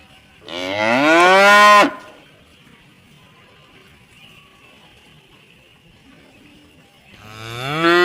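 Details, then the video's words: Rural cattle gathered near the barn after coming back from the rice fields: a rising, upward-sweeping moo of about one and a half seconds, several seconds of quiet, then another rising moo beginning at the end. "The sounds of tame and cute cattle returning from the rice fields to eat grass in the barn."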